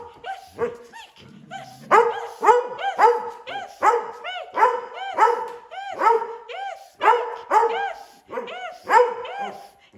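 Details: Several rescue dogs, among them a collie that loves to howl and a foxhound that loves to bay, asked to speak together for fun: rapid overlapping barks and wavering howls, bursts roughly every half second, with brief human speech early on.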